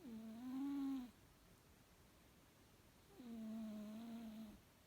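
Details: Sleeping house cat snoring: a pair of droning, reedy, hum-like snores, the second longer at about one and a half seconds, with near silence between them.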